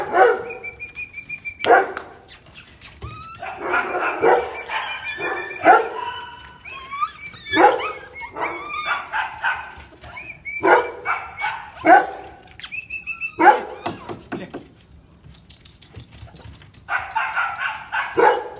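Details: A Siberian Husky puppy in Delhi, India, gives high, yappy barks and whimpers in quick repeated bursts.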